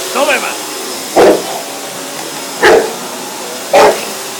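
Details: One-year-old pet Bullmastiff barking at a running vacuum cleaner indoors: three loud, deep single barks spaced over a second apart, cutting through the steady roar of the hoover, with brief voice-like sounds at the start.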